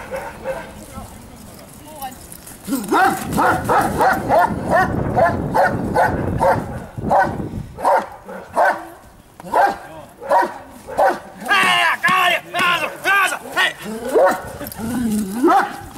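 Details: Giant Schnauzer Blackmoore Dark Devil Radinie at Lübben, barking in rapid yelping bursts of several barks per second after a quiet start, with brief pauses between runs and human voices at times behind the dog.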